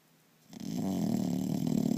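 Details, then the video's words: English Bulldog snoring indoors; after a short quiet start, a loud, low, rattling snore begins and continues steadily to the end. "英ブル＊ターボの日常 】いびきｗ"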